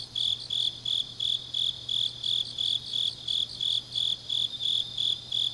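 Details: Deep autumn night in Changnyeong, South Gyeongsang Province, Korea, with grass insects singing: crisp high-pitched chirps evenly spaced, nearly three per second, very regular, with a quiet low hum in the background.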